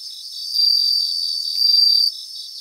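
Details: Bell crickets singing in a grassland in Japan: a high, pure ringing trill swells from about half a second to two seconds, slightly louder near its end, over a faint, steady pulsing chirr of other insects.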